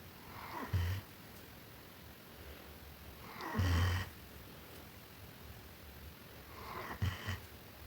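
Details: Sleeping German Shepherd dog snoring indoors: three low, rumbling breaths spaced roughly three seconds apart, each a short hoarse burst, with quiet room hiss between them.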